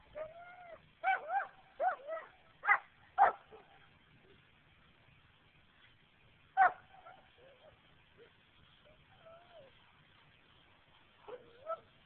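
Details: German Shepherd giving a series of high, wavering whimpers and yips, clustered in the first few seconds, then one sharp yip and scattered whines, recorded on a phone with a muffled, band-limited sound.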